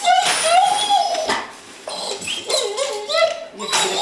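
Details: An excited dog, so eager to go to the park that it shakes, gives high, wavering, rising and falling whines in several short bursts with brief pauses between, in a small indoor room.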